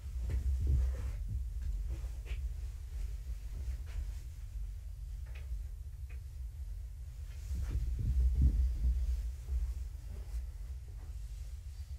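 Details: Indoors, a room with kittens gives only a low throbbing hum and soft thumps, with no meows or other animal calls.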